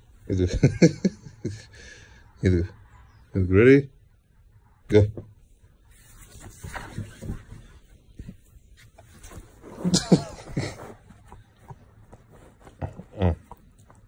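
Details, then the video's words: Doberman indoors, annoyed and wanting to play outside, voicing a series of short grumbling, moaning bursts with rising and falling pitch, one drawn-out whine-like sweep near four seconds, separated by brief pauses in a small room. "Doberman wants to play outside (angry)"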